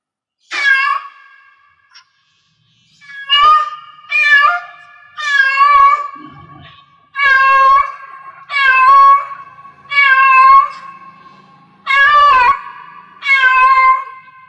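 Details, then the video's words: Yowling meows from a domestic cat in heat, about nine strong harmonic calls repeated at a steady pace of roughly one per second and a half, each with a slight falling tail, in a quiet indoor setting. "Cat Meow Cat in Heats Sounds"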